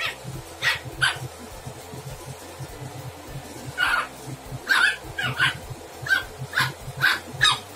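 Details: Lhasa Apso puppy, one to three months old, playing and biting; short high yips and barks come in bursts of two or three, spaced irregularly over several seconds, with a steady low hum underneath.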